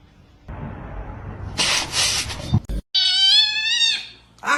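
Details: Domestic cat giving a single clear, tonal meow lasting about a second, slightly falling at the end, after a stretch of rustling and hissing noise.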